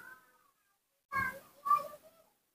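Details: Rescued newborn baby monkey, cared for at home while topical ointment is applied to its sores so it recovers, gives a thin, falling whine, then two short harmonic squeals after a pause. Indoor room setting.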